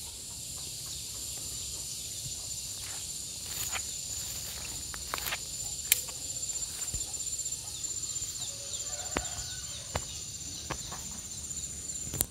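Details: Gareng pung cicada sounds as a long sustained hiss-like buzz with a thin steady whine on top, scattered clicks and taps, and faint low background noise throughout.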